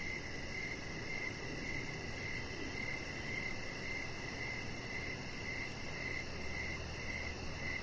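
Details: Evening chorus of crickets next to a deck with decoration lights where a chihuahua puppy lies; rhythmic high chirps keep coming nearly twice a second, with a thin rapid pulsing overhead and low hum below.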